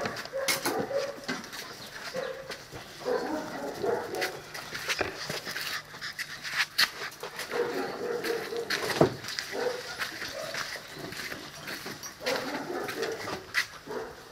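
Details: Seven-week-old Presa Canario and Cane Corso puppies, litters from Chca and Ossi and from Paula and Angelo, giving short tonal whimpers and grunts in scattered bursts, over constant clicking, scratching and scuffling of paws and bodies.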